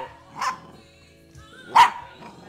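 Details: Rat Terrier puppy reacting with barks to its owner's singing rather than to radio music: two short, sharp barks over a second apart against a quiet background, with a faint tone between them.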